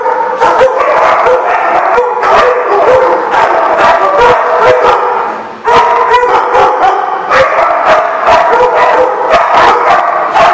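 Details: A crowd of dogs barks at once, with rapid overlapping barks mixed with high yips and drawn-out howl-like notes and a short lull near the middle.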